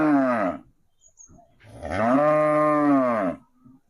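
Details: One of two cows reacting to a cow sound played nearby: a short low harmonic moo, then after a pause a longer, steady, drawn-out moo of about one and a half seconds.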